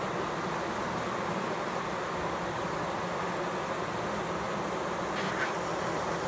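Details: Bees fanning, filmed close up, keep up a steady, dense hum throughout. Near the end, a couple of faint, short, higher calls sound briefly over the drone.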